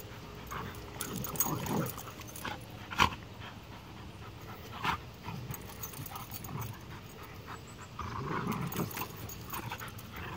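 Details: Two dogs playing roughly in a yard, an 8-month-old female bullmastiff and a 3-year-old Rottweiler and American pit bull terrier mix; low growling grumbles and panting bursts with scattered sharp yips and thuds, a man's voice between.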